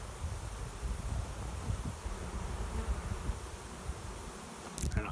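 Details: Cloud of swarming honey bees circling near a swarm trap behind a garage while choosing a new home; a deep, even droning buzz fills the whole stretch, with a short rustle near the end.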